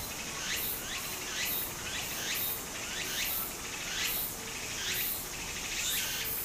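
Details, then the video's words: Japanese summer cicadas calling near a brook: rhythmic, piercing rising pulses in steady succession, layered over continuous gentle stream noise. "小川の流れと蝉の声 自然音 ～夏～ Japan Sound of nature Cicada's voice"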